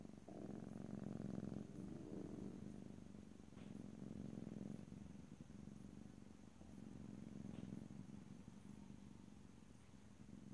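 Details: Domestic cat purring gently in stereo with no talking, a low rolling rumble that is stronger at first and softens later, pulsing with each breath in cycles of about two seconds.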